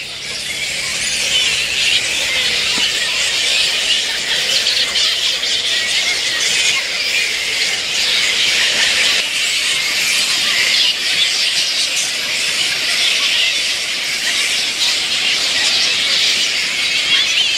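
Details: Little red flying foxes at a camp, a fruit bat roosting site, at dusk; a dense, continuous chorus of high, shrill squeals and chatter from many bats that holds steady throughout without pause.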